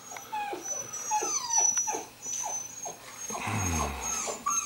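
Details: Rhodesian Ridgeback puppy, born 09.09.2016, at a kennel: a run of short, descending high whines and squeaks about every half second, ending in a low growly grumble, with a faint steady high tone behind.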